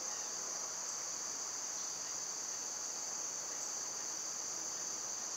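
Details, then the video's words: Dense summer cicada chorus, loud this time of year, forming an even, unwavering high-pitched hiss with no other clear sounds. "Birds & Squirrels w/ Cicada sounds"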